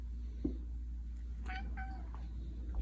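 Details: Simon, a pet Siamese cat, indoors, in a countdown of progressively quieter meows: two or three short, soft, tonal meows bunched mid-clip over a low steady hum, with a person speaking gently to him before and after.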